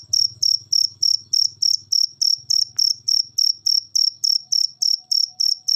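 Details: Rapid, even cricket chirping used as a training recording for cage birds, high buzzy pulses about three and a half per second, with a faint low hum underneath during the first half.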